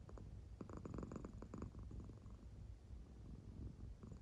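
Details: Deeply sleeping American Shorthair cat purring as it breathes, belly moving in time; a short low, rattling rumble with a brief louder pulsing stretch, then fading to a softer purr.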